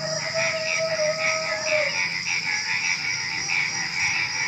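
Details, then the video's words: Night chorus of frogs before dawn, with rapid pulsed croaking in irregular bursts, a long fading tone in the first two seconds, and a steady high insect hum, crickets among them, throughout. "Suara Kodok Menjelang Subuh"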